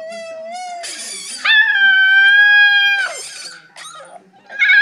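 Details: Male Siberian Husky puppy, nine weeks old, howls as he watches footage of himself: a thin, steady tone, then a brief rough yelp, a loud sustained howl that slides down at its end, and a short rising cry.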